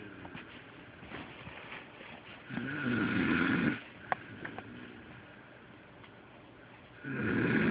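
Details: Sleeping pet dog named Delilah snoring as loud as a human: a long rasping snore in the middle, then quiet breathing with small clicks, and another snore starting at the end.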